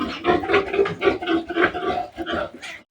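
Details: Piglets of a pure native sow being weaned. Loud, rapid, harmonic squeals and grunts repeat about four times a second for nearly three seconds, then stop in brief silence.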